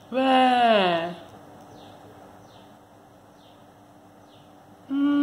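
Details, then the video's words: Timmy, a kitten who does not want to be disturbed while sleeping, gives a long drawn-out falling meow lasting about a second, then quiet room hiss until a second meow begins at the very end. "MEAAAAAAAAAAAA | CAT DON'T WANNA BE DISTURB WHILE SLEEPING"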